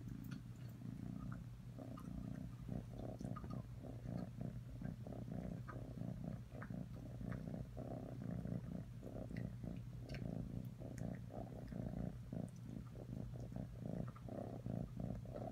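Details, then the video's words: Low continuous purring from Atreyu the cat, a close buzzing rumble carried in regular breath-length pulses over about fifteen seconds. "Atreyu purring"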